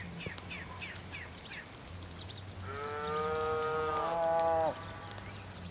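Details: On a rainy day on the Patagonian plain of Tierra del Fuego, Argentina, a bull gives one loud, sustained, steady moo of about two seconds. Quick high bird chirps come first, over a constant low hum.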